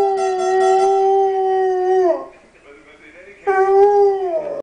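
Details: A dog howls in two long, steady, tonal notes: the first held about two seconds before sliding down, then a pause and a second shorter howl that also falls away at the end.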